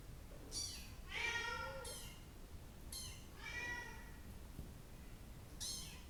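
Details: Bengal kittens, brown and blue coats, indoors at a breeder's: short high meows, some breaking into squeaky cries, spaced irregularly with pauses, faint room noise behind.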